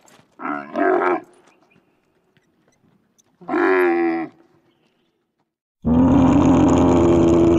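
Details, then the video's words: Camels in the desert give deep, rough groaning bellows: a doubled grumble, a second drawn-out moan, then a loud rasping roar that runs on. "Sunete de camila.Cum face camila?Ce sunete scoate camila?"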